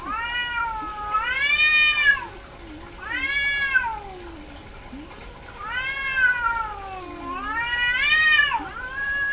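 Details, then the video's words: Domestic cat, a female in heat, calling repeatedly: four loud, arched, harmonic-rich meows about every two seconds, each swelling and dipping in pitch, with faint lower mews between them. "SOM de GATO no cio - Barulho de GATA no cio Gatos miando"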